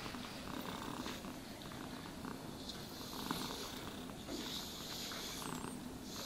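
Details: Cat being brushed and groomed, purring with a steady low rumbling drone under frequent hissy brush strokes and light clicks.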